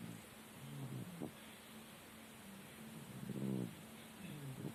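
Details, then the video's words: Murik the cat snoring in his sleep, a snore likened to a human's: low, rough, buzzing rasps come in bursts about every one to two seconds, with quiet breathing gaps between them over a faint steady hiss. "Кот Мурик храпит как человек"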